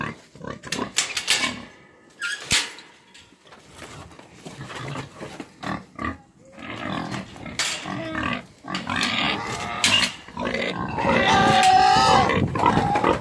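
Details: Romanian-breed pigs about eight months old; bursts of grunting followed by loud, drawn-out squealing that wavers in pitch and builds toward the end, several animals calling over one another.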